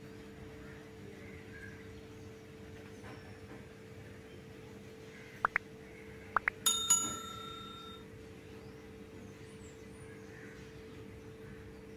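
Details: A quiet room with a steady electrical hum and a few faint clicks, then a bright metallic bell-like chime rings out and fades; no animal calls.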